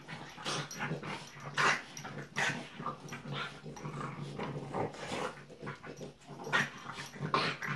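French Bulldog puppies growl and yip in short, rough bursts while playing together.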